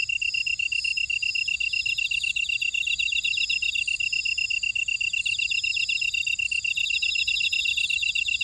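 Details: Buckwheat field insects at Ora-dong on volcanic Jeju Island, South Korea, keep up a regular, fast, high-pitched pulsing chirp, while fainter buzzy trills from other callers rise and fade above it, nothing else audible.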